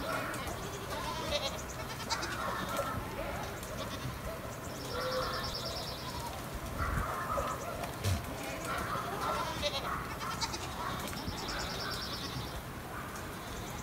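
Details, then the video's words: Stray goats roaming above Sasa give a series of wavering, nasal bleats spread across the recording, while steady high-pitched chirping pulses repeat in the background. "Αδέσποτα κατσίκια πάνω απ΄ τα Σασά"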